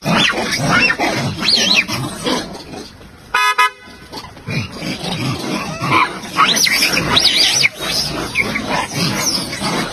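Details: A group of monkeys mistakes a pheasant for an eagle and reacts strongly with a busy chorus of sharp, rising shrieks and chirps. A brief honk-like tone is heard near the middle.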